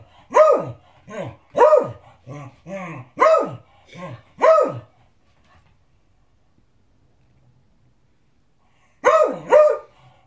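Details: Beagle demanding dinner with a run of loud barks and softer moaning whines between, then several seconds of near silence before a closing pair of sharp barks.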